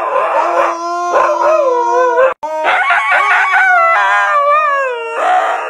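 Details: Husky dog's loud screaming howl, drawn out and wavering in pitch, with rapid warbling shifts and a brief break midway before the cry resumes at full strength.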